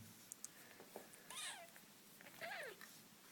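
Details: British Shorthair kitten, playing and fighting with its siblings, gives two thin, high mews, each arching up and then sliding down.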